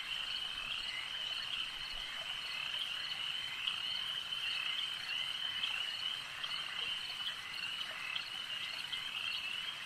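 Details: Chorus of frogs at a lake, a constant high, buzzy trilling wall of sound from many animals at once, steady in pitch and loudness with brief clicky accents.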